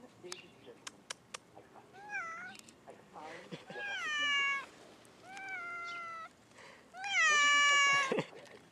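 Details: Domestic cat crying: a series of about four drawn-out, tonal meows, each rising then falling or levelling off, the last loudest and longest, preceded by a few sharp clicking taps in a quiet room.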